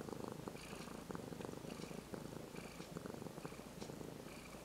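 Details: Close, loud purr from a once-stray brown-and-white kitten enjoying strokes after months of care; dense pulsing rumble in quick regular beats, with soft rubbing and brushing noises over it.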